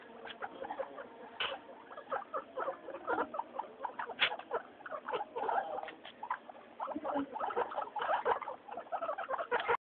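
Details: Three pet guinea pigs, Mayumi, Archie and Miyuki, noisy during their weekly floor time; dense overlapping squeaky wheeks and chirps with pattering movement throughout, continuous busy chatter with short peaks.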